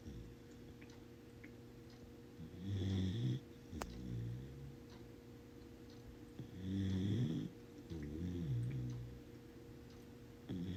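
A corgi puppy snores in soft, low, rattling breaths, each lasting about a second.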